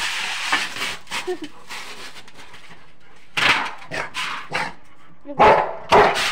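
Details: Rottweiler in Haryana, India, barking at night; after a quieter stretch of faint sounds, loud harsh barks come singly and in pairs near the end, with a man's voice speaking in between.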